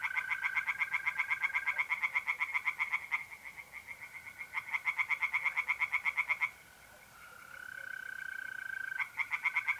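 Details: Tree frogs calling at night in April in north-eastern Italy, long runs of rapid rattling croaks with short breaks, backed by a continuous mole cricket trill that stands out when the frogs pause.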